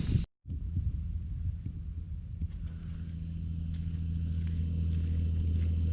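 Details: Cicadas near a swimming area at Amanohashidate by the sea in Kyoto prefecture, Japan, give a high, steady drone that rises and holds over a heavy low rumble of wind.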